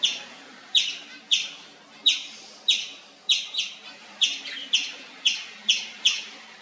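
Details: Indian palm squirrel chirping nonstop: sharp, high, clipped chip notes with a bright, slightly buzzy edge, about ten in under seven seconds, loosely spaced, some doubled, over a quiet background.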